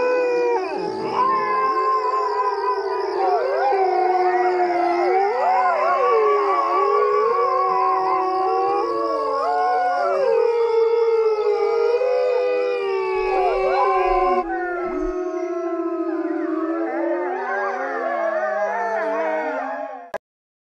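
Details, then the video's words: A coyote chorus of many overlapping howls, quavering, rising and falling, with yips woven in. The voices thin out midway, then the howling goes on until it stops abruptly near the end. A faint steady high tone runs underneath. "Coyote Sounds!"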